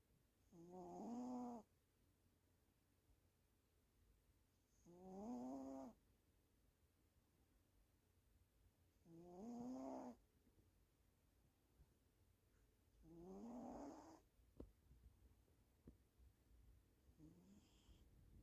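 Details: Dozing female domestic cat snoring steadily, about fourteen rough, droning breaths a minute. Five snores roughly four seconds apart, each slightly rising, with faint rustles between them indoors.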